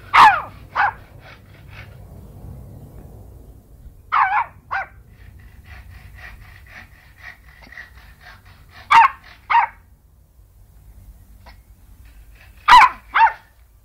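A Yorkshire Terrier sneezes in sharp, explosive pairs, each burst quickly followed by a second.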